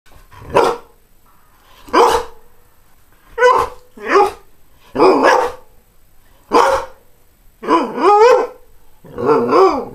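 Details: Greyhound dog barking: about nine loud, harmonic barks in ten seconds at an uneven pace, the later ones doubled, with a wavering tonal, almost whining edge.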